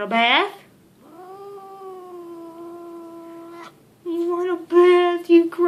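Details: Leo, a grumpy pet cat, caterwauling out of the blue while being held indoors: a sharp rising yowl, then a long steady droning moan, followed by louder wavering yowls mixed with a person's voice.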